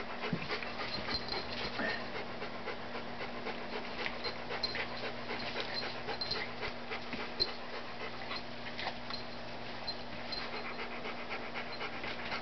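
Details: Papillon puppy and Miniature Dachshund puppy playing at a workplace on a Saturday morning, steady rapid panting and scuffling with small growly bursts, under a constant low electrical hum.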